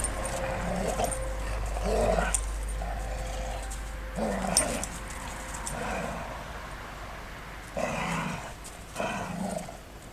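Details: Two female Golden Retrievers playing together before suddenly falling into a real scuffle; low rumbling growls come in short bursts every couple of seconds, separated by quieter gaps, with a steady background hum.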